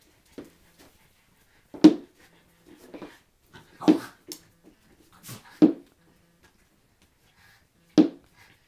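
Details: Schipperke dogs Jesse James and Ebony Jade at a shared birthday party on April 19, 2009, with new toys; five short, sharp bursts spaced about two seconds apart, with soft quieter sounds between, in a quiet indoor room.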